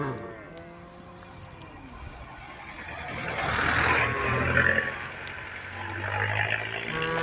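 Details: Tame female cows gathered on a road moo while calling the herd; drawn-out, falling, harmonic lows open and close the passage as a vehicle rumbles past in between.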